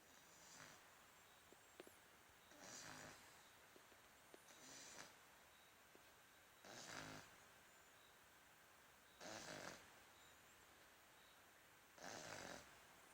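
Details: French Bulldog snoring indoors: six hoarse, hissing snores, each under a second long, repeat about every two seconds in an otherwise quiet room.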